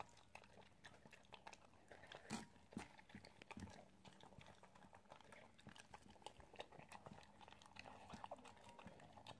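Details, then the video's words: Indoor ASMR recording of an Italian greyhound eating: dense crunching and mouth clicks, bursts of several bites close together, a louder snap early on, and a faint low hum beneath. "Italian greyhound eating ASMR"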